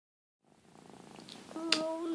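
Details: Ruby, a pet cat, purring while being groomed by another cat, Lugosi: a soft, low, steadily pulsing purr that grows louder, then a person's voice begins speaking over it near the end.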